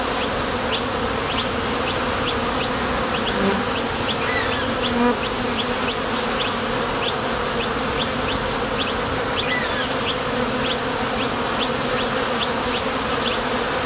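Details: Many honey bees coming and going at a top bar hive entrance while foraging for nectar, making a thick, continuous low buzz with layered overtones. Quick high-pitched clicks recur roughly twice per second throughout.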